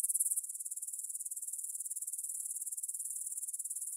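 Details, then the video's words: Evening stridulation of grasshoppers in a field by the Svensky monastery, Bryansk, Russia, 9pm, 6 September 2020, Tascam DR-44WL stereo recorder. Rapid, even pulses of thin, very high buzzing repeat several times a second, louder at the start. "кузнечики на лугу – Grasshopper Sounds in the Field"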